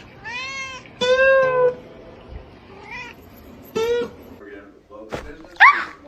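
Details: Pet cat meowing in bursts, harmonic drawn-out meows with a rising squeaky call near the end, separated by pauses; people talking in the background, one saying "Guys, stop it."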